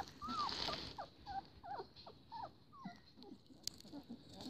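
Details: Young Siberian Husky puppies in a kennel litter, just starting to open their eyes; scattered short, high, wavering whines and squeaks, several in a row, over soft rustling bedding.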